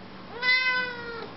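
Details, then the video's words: A chatty female Siamese cat kept as a pet, talking to her owner indoors, gives one drawn-out meow of almost a second. It is clear and tonal, with a steady pitch that eases slightly downward at the end. "Talking Siamese Cat, Говоря сиамская кошка"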